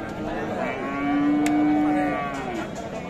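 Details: Bull cattle at the Khochabari cattle market in Sadar, Thakurgaon, Dinajpur, on 19 December; the market runs Saturdays and Tuesdays. A single steady, drawn-out moo lasting about a second rises from the busy market's crowd noise and chatter.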